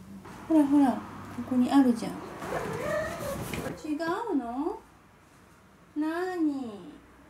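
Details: A male Ragdoll cat, who swipes away kibble he dislikes, gives several drawn-out, wavering meows complaining about his food while a woman talks; Ragdoll cat.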